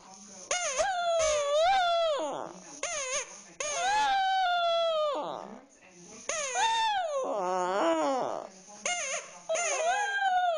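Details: Pet dog crying while playing with a stuffed toy, done for fun: long wavering howl-like whines, each drawn out a second or two with falling tails, repeated in bursts separated by short pauses.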